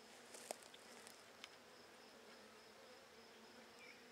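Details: Buckfast honey bees in a handmade first hive, opened on 23 May 2009 to check brood growth, give a steady low droning hum with faint overtones. Soft clicks and taps from handling the frames punctuate it.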